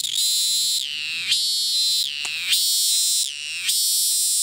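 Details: Cicada in Thailand that won't stop calling while fleeing, restarting as soon as it lands; intense, harmonic buzzes, each ending in a falling slide, cut by short pauses about every 1.2 seconds.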